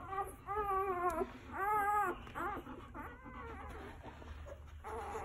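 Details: Newborn Golden Retriever puppies, one day old, from Quinn's litter under a heat lamp, cry in clear, arching squeals, two long ones early, then a string of shorter, shakier whines, over a faint hum.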